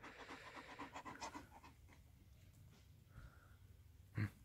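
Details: {'text': 'Major, a pet German Shepherd, pants rapidly on a hot day around dinner time; a burst of breathy pants fades into quiet after a second and a half, and a short knock comes near the end.'}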